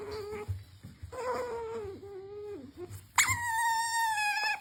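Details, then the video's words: Cute squealing from a pet otter begging for its treats, wavering whines that dip and bend, then a sudden higher, louder sustained squeal with rich harmonics near the end; a faint constant hum underneath. "Otter Usomaru makes cute noise while asking for his treats"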